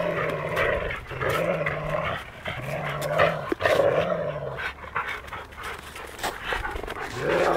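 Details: Labradors Bytas and Maksas, urban dogs in Vilnius, dispute who keeps a stick; steady low growling in long waves about one to two seconds each, broken by huffs and panting.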